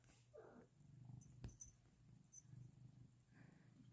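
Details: Pet cat purring indoors at snack time in a home with other pets; a low, steady rumbling purr with fine rhythmic pulses runs throughout, with a soft brief vocal sound near the start and a sharp click midway.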